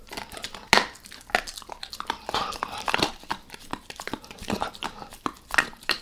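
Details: Beef rib being chewed by Max the dog in a small room: crisp, sharp crunches and bone-cracking bites repeated irregularly, several louder snaps among wet gnawing, no speech.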